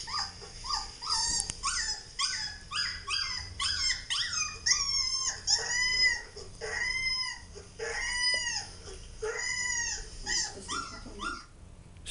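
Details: Husky puppy (Siberian Husky) whining as Labradors Maddie and Roxie react, 18.04.13; a rapid, insistent string of high, arched whines, about one each second, some bending up then falling, continuing steadily throughout.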